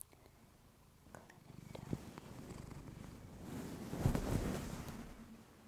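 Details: Female domestic cat purring close to a fluffy-covered microphone for relaxation, a low rumbling throb that swells in the second half with soft rustling and a few faint clicks.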